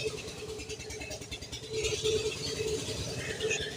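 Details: Rumbling vehicle engine noise with faint background voices and a steady mid-pitched tone; no clear animal voice.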